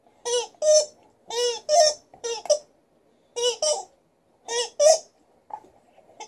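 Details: Liza, a female Alaskan Malamute in a good mood, puts on a little vocal show indoors: short, harmonic, yodel-like woo sounds in paired bursts, with brief pauses between groups and a quiet room behind.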